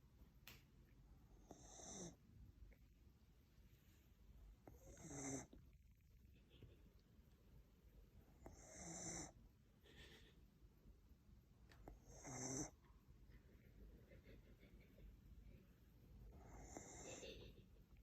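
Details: Sleeping whippet snoring softly, slow raspy breaths with louder wheezy bursts roughly every three to four seconds, airy hiss reaching high, quiet room background.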